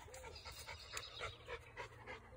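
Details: Chocolate Labrador Retriever on a daily countryside walk through the grass of Fox Field near Rugby, panting in quick, breathy, rhythmic bursts about four times a second, with light rustling underneath.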